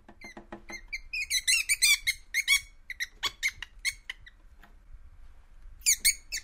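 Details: Least weasel, played to repel moles: a rapid train of short, high, harmonic squeaks and chirps, first ticking quickly, then louder bursts sounding in clusters with brief pauses, ending with a sharp squeal.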